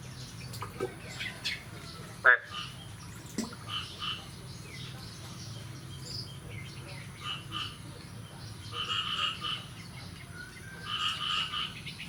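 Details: Frogs call after the year's first rain on the morning of 9 May 2022, in a busy chorus of rattling, pulsed croaks that rise and fall in bursts.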